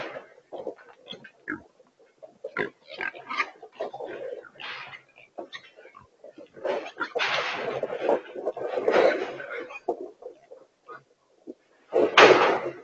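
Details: Wild pigs, or feral hogs, caught in a remote-control corral trap in Texas at their first trapping at the site, give a steady stream of short, rough grunts and a louder squealing burst near the end.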